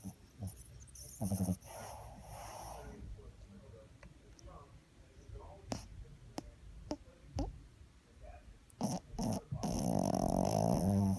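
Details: Dog snoring in its sleep: a short rasping snore early on, quiet stretches with faint voices and clicks, then a long, loud, grating snore over the last two seconds.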